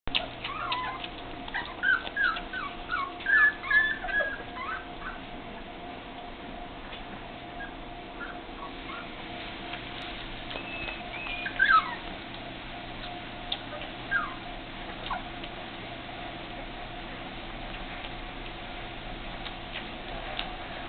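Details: Four-week-old English Springer Spaniel puppies giving thin, high whimpering squeaks and short yips in scattered bursts, loudest early on and near the middle, over a steady low hum.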